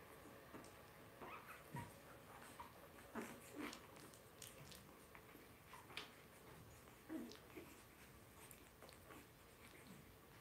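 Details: Two-week-old Blenheim Cavalier King Charles Spaniel puppies, five littermates born on New Year's to Paris and Spike, whimper and squeak repeatedly in short, thin, wavering cries, with light rustling in a quiet indoor pen.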